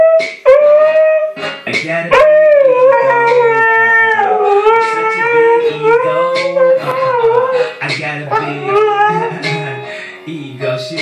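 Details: A Siberian Husky howls along to Kanye West music in long, wavering tones that rise and fall.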